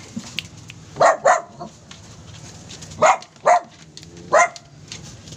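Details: Pet Poodle barking in short sharp bursts: a quick double bark, then single barks about a second apart, five loud barks in all, with faint background hum and soft room noise between them.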